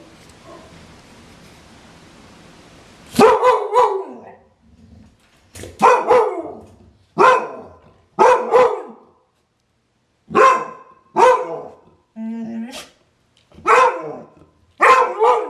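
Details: Clumber Spaniel barking repeatedly: loud, abrupt single and double barks coming every one to two seconds, with a brief whine between them, after a few seconds of quiet background hiss.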